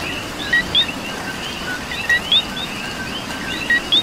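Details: Puerto Rican coqui calling through rain, its two-part "co-qui" of a brief lower tone then an upward-sweeping higher chirp repeated roughly every one and a half seconds, with more frogs chorusing behind under constant rain hiss.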